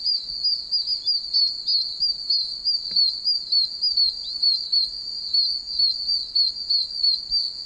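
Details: Oak toads, tiny one-inch toads in a wet wilderness, chirping from puddles all around: an unbroken, piercing high peeping chorus, wavering and pulsing about once a second, with a faint click near the middle.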